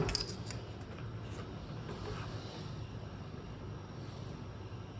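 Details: Only faint indoor rustling, light clinks and low background rumble are heard, with no animal voice.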